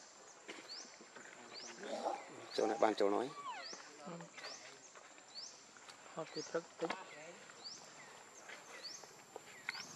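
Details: A hungry baby monkey named Leo pleads with its mother for milk, giving a loud harmonic wail around the third second and then scattered shorter cries over a background of repeated rising high chirps.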